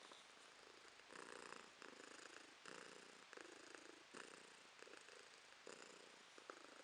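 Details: Domestic cat purring quietly, recorded in December 2022: a steady, close rumbling purr that swells and eases with each breath, pulsing roughly every half second to second, with no other sounds around it.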